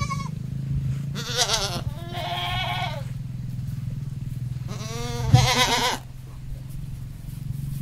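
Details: Male goat beside a female on a countryside farm, bleating in quavering, nasal bursts, about four calls clustered in two pairs, with a continuous low mechanical hum underneath.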